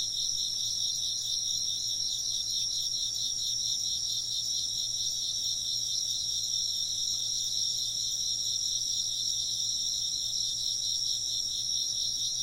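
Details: Chirping insects keep up an even, high-pitched pulsing chorus for the whole stretch, with rapid trills layered over one another and a faint low hum.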